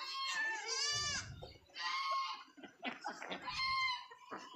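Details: A sick goat on a village farm, recently given an injection by a vet, gives quavering, tremulous bleats with rich harmonics, about three calls in a few seconds, while people talk nearby.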